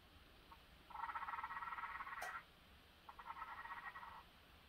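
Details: Phelsuma grandis courting: a rapid, rattling chatter of pulses lasting about a second and a half, broken by a sharp click, then a second shorter, fainter chattering burst.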